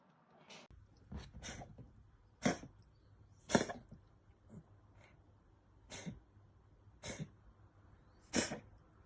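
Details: Bengal cat with a cold, a household cat that dislikes the vet, giving a run of short harsh coughs and sneezy bursts at irregular intervals indoors, about eight sharp broadband bursts in nine seconds.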